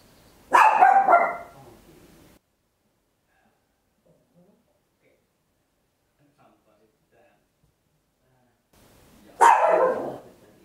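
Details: Papillon, a tiny dog, barking very loudly at home, captured in stereo on an Olympus LS-11 recorder: a quick cluster of sharp, harsh barks at the start, then a long quiet stretch, then one more loud bark at the end.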